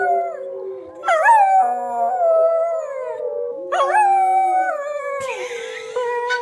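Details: Female schnauzer joining wild wolves on TV with her best wolf howl: two long howls, each starting with a sharp upward swoop then sliding down into a held tone, over steady background howling from the television.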